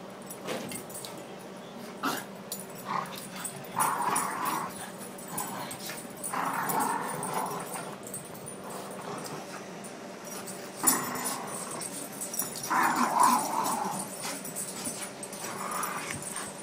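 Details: Adopted dog playing with her favourite toy in her new home beside a Boston Terrier housemate; rough, noisy growl-like bursts come in irregular runs every second or two, over steady scuffling and rustling.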